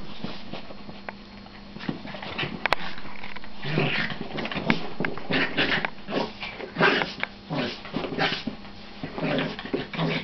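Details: Several pet dogs play fighting, quieter growls building into rapid yips and snarls after a few seconds, with scuffling noise in a small room.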